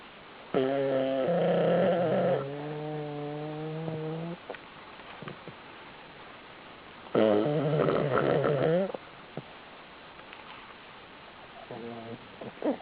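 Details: A pug sleeping open-mouthed in a pile of pugs snores in long, droning breaths with a rough, buzzy rattle.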